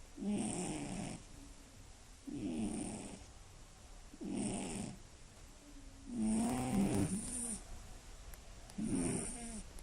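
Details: Scottish Fold cat asleep at night snores loudly and steadily, five raspy rattling breaths roughly every two seconds, each buzzing snore carrying a faint hissy top, in a quiet room.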